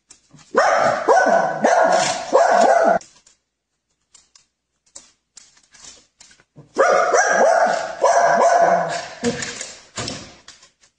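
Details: Two long bouts of wavering, harmonic dog vocalising, each about two to three seconds, separated by a quiet gap with faint clicks and shuffling; a household pet filmed for a funny animal compilation.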